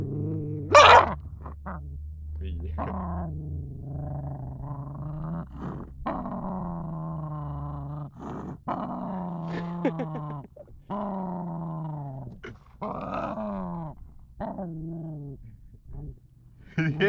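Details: Roxanne, a street-adopted 11-week-old female German Shepherd and Boxer mix puppy, getting angry: harmonic growls and whiny yelps in rising-and-falling bursts, mixed with human speech over a steady low hum.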